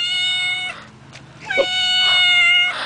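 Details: Stray cat found outdoors while people were playing basketball gives two long, loud, steady meows with a brief gap between them. A person's voice is heard nearby.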